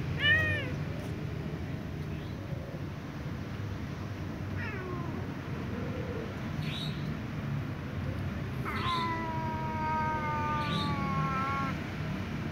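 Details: Little ginger cat, its left leg sprained and hurting, meows repeatedly: short rising-falling cries near the start and middle, then a long drawn-out, wavering wail lasting about three seconds, over steady low background rumble.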